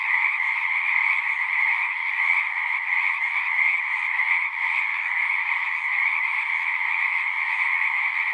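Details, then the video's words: Steady massed frog song from a pasture pond, Zoom 6 recording: countless pulsing calls blend into a continuous shimmering drone, slightly louder in spots, never dropping out. "Frogs singing"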